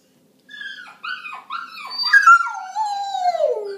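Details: Dog howling in reply to other dog sounds. It opens with four arched yelping notes, then a loud, clear howl that rises briefly and slides down in one long falling wail.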